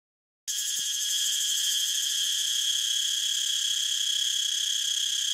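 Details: Cicada song bursting in after a brief silence, then holding as a loud, steady, high-pitched buzzing drone with several bright bands, unbroken to the end; no other sounds stand out.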